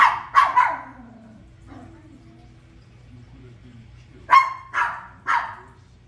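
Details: Pair of quick barks opening, then a pause with soft film sounds, then three more sharp barks spaced half a second apart, all from a toy poodle watching The Lion King.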